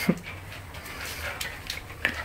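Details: A 10-week-old Siberian Husky puppy, Riley, and Will, a one-year-old German Shorthaired Pointer, play at home as the puppy tries to become top dog; steady breathy panting, with a couple of sharp knocks.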